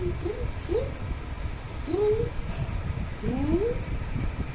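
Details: Pet cat meowing three times, each call a drawn-out, bending tone that climbs and then drops away, spaced about a second apart over a steady low rumble.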